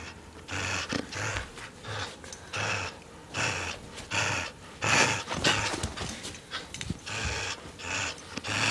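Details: A dog called Lewis tugs and growls during a game of tug of war. Short, harsh, breathy growl bursts repeat about every half second to second in an uneven rhythm throughout.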